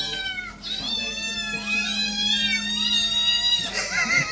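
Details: Several kittens meowing together, overlapping high wavering meows that run almost continuously, some bending up and down in pitch, over a steady low hum.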